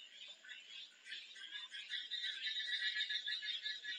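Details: Frog calling in a dense, continuous high-pitched chorus of rapid trilled notes, with intensity swelling and dipping across the four seconds and no other clear sounds.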